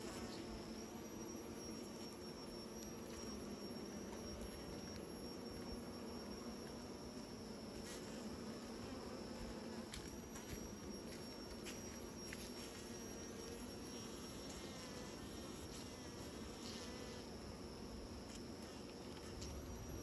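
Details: Bees making new nests, heard as a steady, low, droning hum of many wings that holds without pause, with a thin constant high whine and scattered faint clicks over it.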